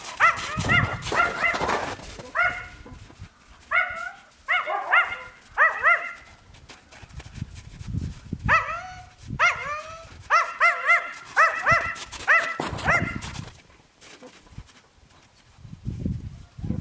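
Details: Yakutian Laika puppies give bursts of high, arched yelps and whines in quick clusters of two to four, pausing between groups, with some rustling and handling noise in the background.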